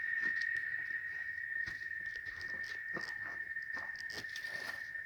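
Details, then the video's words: Cicadas (chicharras) in rural Oaxaca, Mexico, at a cattle ranch: a steady, unbroken high-pitched whine holds one even tone throughout, with a faint higher overtone and scattered soft ticks and rustles over it. "El Sonido De Las Chicharras"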